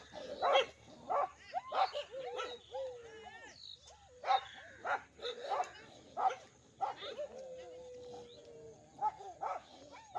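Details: Village dogs fighting in two groups give scattered sharp barks and yelps, about one to two per second, interspersed with drawn-out whines and a brief squealing cry.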